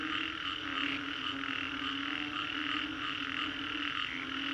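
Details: Frogs calling after a storm in the Green Corridor, Singapore, forming a dense, unbroken chorus: overlapping rasping croaks pulse steadily in a high band, with a lower steady drone beneath and no other clear sounds.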